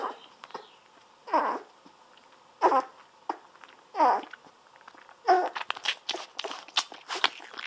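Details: Seventeen-day-old Golden Retriever puppies lying on their backs, drinking milk from a baby bottle indoors; four short squeaky whines, each rising then falling, come about every 1.3 seconds, then quick wet clicking suckling noises.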